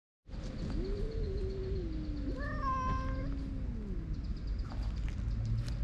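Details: Stray white-and-mackerel-tabby cat chasing an intruding orange tabby off its territory during a cat fight; one long, low, wavering yowl sliding slowly downward, with a brief higher wail over it, against steady low outdoor rumble.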